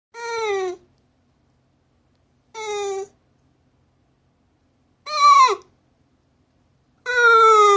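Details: Shiba Inu aged fifteen years and six months appeals for something with loud, drawn-out tonal cries, four in all about every two seconds, each sliding downward in pitch, the third wavering and falling sharply.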